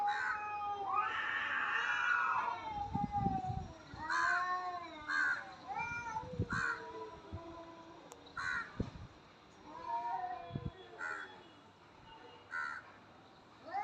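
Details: Cat fight with a loud, raspy opening yowl followed by a series of short, arched wailing notes repeated roughly once a second, mixed with occasional thumps.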